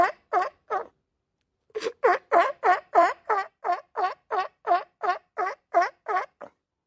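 A sea lion gives a quick run of loud, harsh barks, about three each second.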